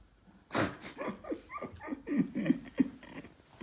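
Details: Boston Terrier Yoda, displeased with a Christmas treat, voices a string of short whiny grumbles and yelps, each sliding downward in pitch, roughly three per second, at close range indoors.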